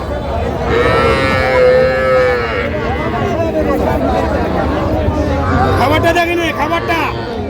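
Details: Sahiwal cattle calves, small bull and heifer calves bought by a farmer from Jamalpur at a cattle market on 14 June 2025: one drawn-out, steady, fairly high-pitched moo lasting about two seconds, with loud crowd talk and bargaining over prices.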